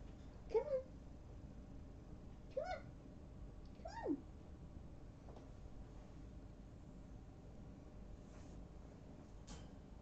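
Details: Kittens from a trailer park colony, three siblings snuggling on a person's legs; three short, thin meows bend up then down over the first four seconds, followed by quiet low hum with faint soft clicks.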